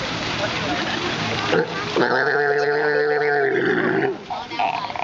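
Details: Sea lions being fed at San Diego's Sea World on January 22, 2012; a loud, harmonic, drawn-out growling bellow lasting about two seconds amid crowd noise and a person praising the animal.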